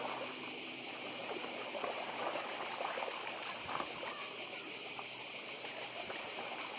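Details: Cicada chorus recorded on the Croatian island of Badija, 2024: continuous shrill buzz throbbing in quick regular pulses, with gentle sea surf and faint trickling water underneath.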